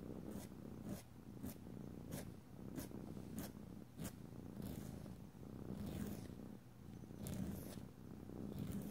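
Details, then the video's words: Indoor domestic cat purring as nails are filed, a low throbbing rumble overlaid by rhythmic scratchy filing strokes roughly once a second. "ASMR Cat: Nailed It! [no talking] [filing long nails] [rubbing oil/lotion] [purring]"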